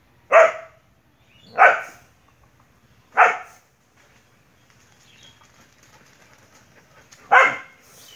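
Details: Single sharp dog barks during a fierce fight with a monitor lizard, three spaced about one and a half seconds apart, then a quieter gap and a fourth bark.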